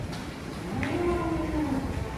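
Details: Big-bellied giant cow coming down off a truck gives a short, level, low lowing call lasting about a second, with background rumble and talk.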